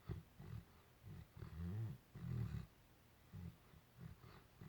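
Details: Sleeping, dreaming Great Dane producing low, grumbling snores, short rasping puffs that swell into longer rumbling breaths roughly every second, with quiet gaps in between.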